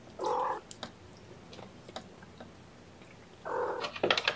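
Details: Young kittens indoors during their first syringe feeding of formula in the morning, several together on a lap; two clear harmonic mews about three seconds apart, the second followed by sharp clicks and rustling.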